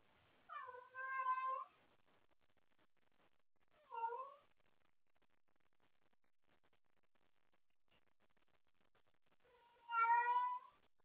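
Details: Domestic cat up late playing with her toys and calling out for someone to play with; three harmonic meows, two close together near the start, a short one at four seconds and a longer one near the end, quiet room between.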